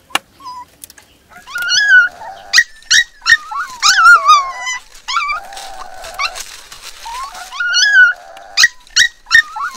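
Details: Four black puppies found at the bottom of a dry well and rescued, crying: loud high whines that rise and fall in wavering bursts, broken by short sharp yelps and squeaks, several puppies calling over one another.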